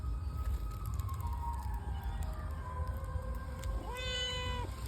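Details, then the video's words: Fish-hungry domestic cat meowing: a long drawn, slightly wavering meow runs through most of the moment, then a sharper rising meow near the end, over steady low background hum with people talking. "মাছ লোভী বিড়াল"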